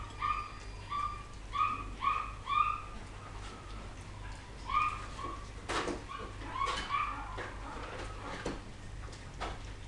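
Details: Poodle puppies from 2012 whimpering in quick succession, about six thin squeaky cries in the first three seconds, then scattered fainter squeals mixed with soft knocks and rustling.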